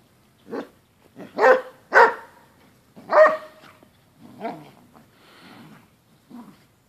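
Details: Basset hound during a ferocious dog fight, giving loud, harsh, irregular barks in about six bursts, some rough and growling, spaced unevenly across the recording.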